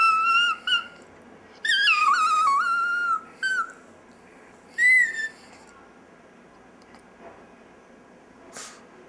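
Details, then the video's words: Dexter the chihuahua "singing" indoors, a series of high wavering howls and whines, some bending downward, broken by pauses, with a faint click near the end. "Dexter's Opera"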